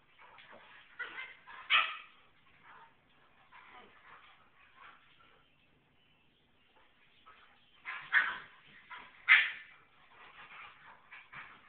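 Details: An Alaskan Klee Kai mother gives bursts of high, whining yips and yowls, upset that her puppy daughter was washed and lost her puppy smell, with a person speaking between them.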